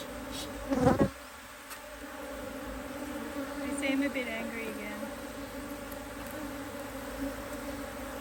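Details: Hive IQ beehive being opened in Australia in autumn 2023 to put on another box, bees working strongly; continuous low humming drone after a sharp thud near the start, with faint voices in the background.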